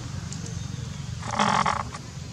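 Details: Baby monkey Rex crying while monkey Rose, unhappy with him, fights him: one short, strained, wavering cry with a rich harmonic tone lasting about half a second, set over a steady low background hum.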